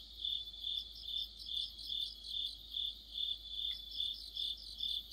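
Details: Crickets and companion insects in late autumn by a streetlamp, shrill trilled song pulsing steadily about twice each second, several voices overlapping in a thick high chorus.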